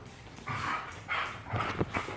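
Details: Belgian Malinois dog during zoomies and play, giving a few short, broadband barks in quick succession against low background noise.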